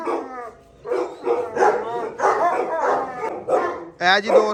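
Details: Gultair, a Pakistani bully dog breed, at a kennel where a male and a pregnant female are kept; several loud barks in bursts, with a man talking in between.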